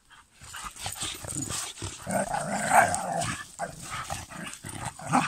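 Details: German Pinschers, a group named Lincoln, Molly, Figa, Queen and Raya, in August 2021: rough, continuous growling with short bark-like bursts and a few higher whining tones, rising and falling in loudness over several seconds.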